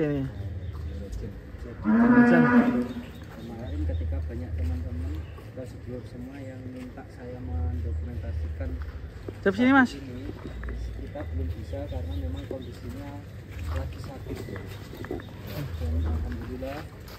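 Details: Giant Indonesian cow Ken Arok Bimasakti, prepared for a DKI cattle contest, lets out a strong moo near two seconds and a shorter, higher moo near ten seconds, over a steady low rumbling hum and background voices.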